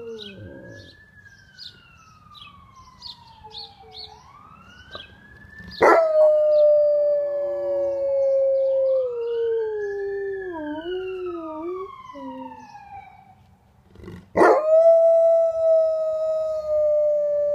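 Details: An Alaskan Malamute howls in long, wavering tones, singing along to a rising and falling siren that echoes through the neighbourhood.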